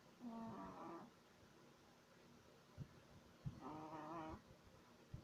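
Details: Three-month-old Shih Tzu puppy asleep indoors, snoring: two nasal, whistly snores about three seconds apart, each lasting under a second with a layered, buzzy harmonic tone, quiet breathing noises between them.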